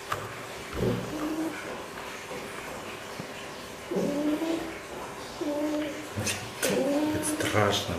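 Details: Fox held at an animal quarantine centre, giving short tonal whining calls with a bent, slightly falling pitch in bursts near one, four, five and six-and-a-half seconds, over indoor room noise and faint clatter.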